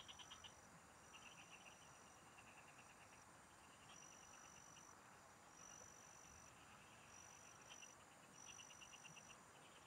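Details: Several frogs singing in farm fields while someone fishes; scattered clusters of rapid high clicking pulses, with long sustained high whining tones coming and going and a steady hiss beneath.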